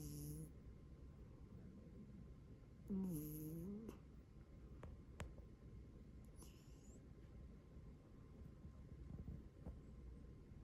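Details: A domestic cat snores indoors: a steady low rumble of breathing, broken near the third second by a brief, louder, bending whine, with faint clicks and rustles around it.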